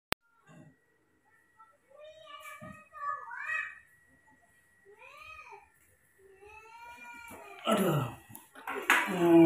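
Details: Newborn baby monkey, cared for at home and given milk each morning, gives a series of high, arching squealing cries, several with clear upper harmonics, spaced by short pauses, followed by louder broadband noise near the end.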